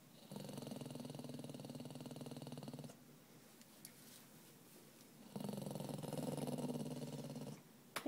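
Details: Grouchy spaniel mix refusing to go on his walk gives two long low rumbling growls, each about two to three seconds, separated by a quiet pause, while the owner calls his name and urges him up.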